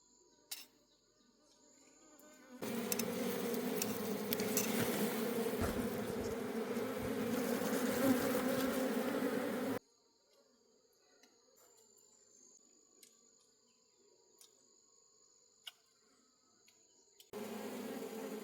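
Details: Honey bees of a wild forest colony buzz loudly during a honey harvest: a thick swarm drone that starts abruptly, holds for about seven seconds, then cuts to near quiet with faint high tones before returning.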